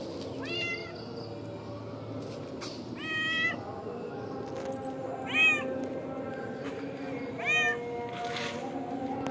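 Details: Free-roaming village cat, a mother with her kittens in the front yard of a mosque, giving four clear meows about every two seconds, each a short arched wail with rich harmonics; low steady background rumble throughout.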